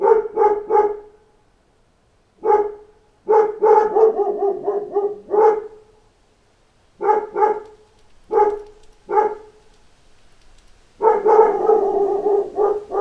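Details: Dogs in a pack bark at knocking on a door. Clusters of sharp barks come with irregular pauses, and the clip ends in a dense, overlapping chorus of barking.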